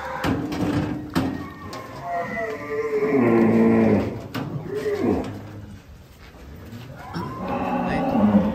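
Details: Giant cattle at Bintang Tani Farm being unloaded from a truck; a long, deep, harmonic moo swells in the middle, with shorter lowing before and after, over music, clapping and people talking.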